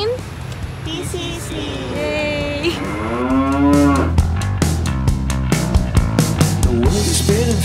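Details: Carabao at the Philippine Carabao Center in Nueva Ecija, Philippines, recorded in July 2018 during a large-animal veterinary internship: one long, harmonic, moaning bellow that rises and then sinks over about two seconds, followed by guitar music and sharp clicks.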